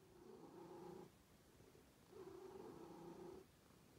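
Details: Two smooth purring phases from cats, each a low buzzing hum lasting about a second, separated by a softer pause, with nothing else audible.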